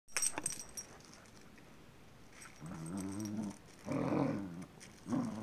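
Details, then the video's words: Jake, a pet dog, reacting to a new battery-operated toy he now likes. Three low, wavering, harmonic growl-whines, each about half a second to a second long, follow a few sharp clicks from the toy at the start. "Jake VS. new battery operated toy part 2"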